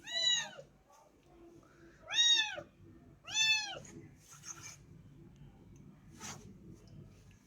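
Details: Small kitten that turned up at a home calls with three clear, high arching meows about a second apart, followed by softer faint sounds and quiet background.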